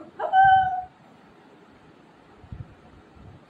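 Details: Milo, a Shih Tzu puppy at home, quarrelling with mummy: one short, steady, high whine with clear overtones, followed by near silence and a few faint low knocks.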